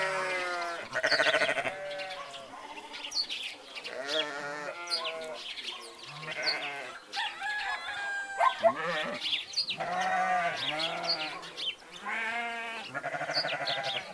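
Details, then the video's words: Flock of sheep and goats calling together, a dense chorus of quavering bleats at varied pitches, some short and clipped, others long and wobbling, with thin high chirps mixed among them. "Sheeps, goats and their sounds"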